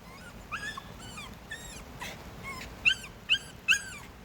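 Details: A dog on a walk on a rainy day gives a string of thin, high whimpers and whines, rising then falling, about six short cries with the last three sharper and louder, over a steady hiss of rain.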